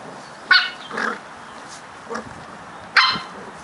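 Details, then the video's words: Brother and sister Cardigan Welsh Corgi puppies, eight weeks old, playing on their second day in a new home in Adelaide, South Australia; brief sharp yips at scattered moments, one louder near the end, over a steady low background hiss. "Cute puppies Fos and Ebo playing (Cardigan Welsh Corgi's; 8 weeks old, 2nd day in new home)"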